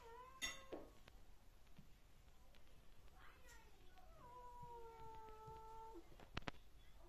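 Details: British Shorthair cat named Monty, being silly indoors, gives a long, drawn-out meow that slides slightly downward and holds for about two seconds, preceded by short squeaky sounds and followed by clicks and handling noise.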